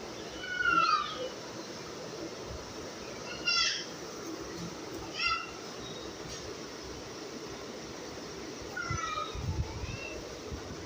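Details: Domestic cat meowing faintly and intermittently, four short downward-sliding meows spaced a few seconds apart over steady background hiss, with soft low rumbles near the end.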